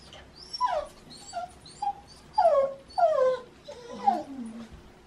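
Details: Shiba Inu named Baku vocalizing in autumn, the season of love, early in the morning while demanding a walk: a series of short, high whining cries that slide downward, some longer and wavering, repeated with brief pauses.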